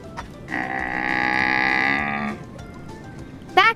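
A Bactrian camel gives one long, steady, hoarse groan lasting nearly two seconds, with a brief rising bleat-like noise at the end.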